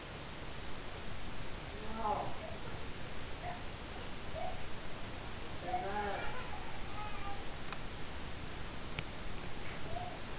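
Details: Kittens indoors giving two short, thin meows about four seconds apart, each with a faint harmonic edge, over a constant background hiss.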